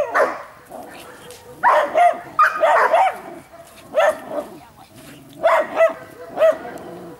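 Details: Giant Schnauzer barking: short, loud, rough barks in small bunches, about five over seven seconds, with a person talking quietly between them.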